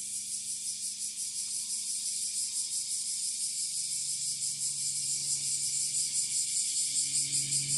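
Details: Bear cicada in full-power song, heard from a little distance in northern Kyushu, Japan, on 26 July 2023, just after the rainy season ended. A dense, steady, high-pitched buzzing drone, finely pulsing throughout, with a faint low hum beneath.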